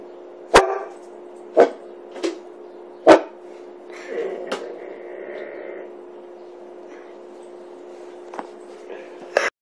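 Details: Nine-month-old hybrid puppy Ozzy, part Australian Shepherd, Bull Mastiff and Malamute, woofing suspiciously at a kettle: three quick sharp woofs, then faint voices and a steady hum, a last brief sound at the end.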